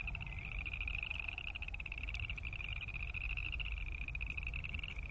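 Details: Boreal chorus frogs croaking as a dense chorus: a steady band of rapid, pulsed trills runs without pause, many callers overlapping, over a constant low rumble of background noise.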